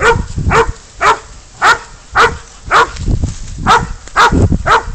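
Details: Spud, a dog holding a goat at bay, gives clear, harsh barks, about two each second in an even rhythm, with faint low thumps between them.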